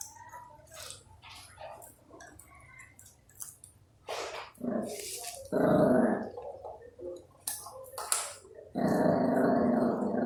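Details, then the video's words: Two puppies fighting over food, one angrily refusing to share: long harsh snarling growls come in two loud bursts mid-way and at the end, with short yaps and scuffling clicks between them. "Angry Puppy Barking Madly for Not Sharing Food"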